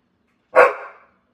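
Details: Mary, a pit bull, gives one short grumbling bark-like vocalization that rises abruptly and fades over half a second in a quiet room, with a person asking about her ear.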